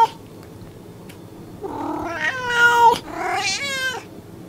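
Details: Domestic cat, one of the American cats in a set of meowing cats and kittens, gives two drawn-out harmonic meows, the first rising then sliding down, the second shorter and falling, over a quiet indoor background.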